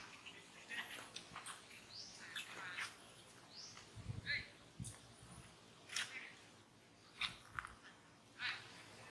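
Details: Brady, a monkey at Angkor Wat Park, cries as monkey Rose disciplines him; repeated shrill, harsh squeals and screeches in uneven bursts, with muffled low thuds between them.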